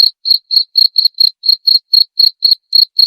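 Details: Cricket chirping, played to drive away rats: short pulsed chirps repeated about four times a second at a steady pitch, loud and clean with silence between them.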